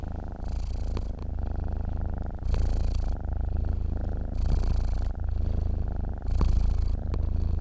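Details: Sleeping domestic cat purring steadily, a deep rumbling drone that swells and eases in long alternating phases, each lasting roughly one to two seconds, with a few soft clicks over the continuous low vibration.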